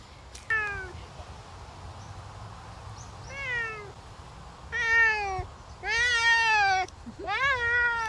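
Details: Savannah cat kept as a pet, heard on a summer walk: five drawn-out meows in about eight seconds, each a rich harmonic cry that starts high and slides down, the later ones louder and longer, over a low background rumble.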